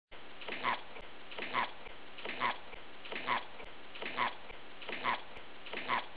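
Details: Rabbit grunting in a looped recording: short nasal 'epp' grunts repeated evenly about every 0.85 seconds, seven in a row over a faint steady background hiss.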